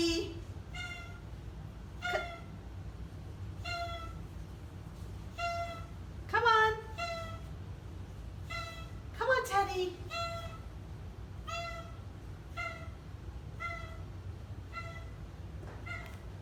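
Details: Oriental Shorthair cats, four animals, vocal on their first day brought into a new house on moving day; short harmonic honking calls repeated about every second, a few louder wavering cries, with a woman coaxing the cats and soft music.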